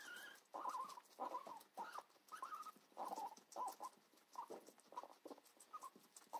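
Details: Pigs feeding on cucumber: a rapid run of brief squealing grunts, roughly one every half second, over soft crunching and rustling chewing sounds.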